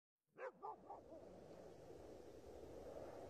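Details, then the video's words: Dogs barking in snow: a quick burst of about four harmonic, downward-falling barks in the first second, then a steady broadband hiss of wind or outdoor noise with no further barking. "Kar ve Havlayan Köpekler"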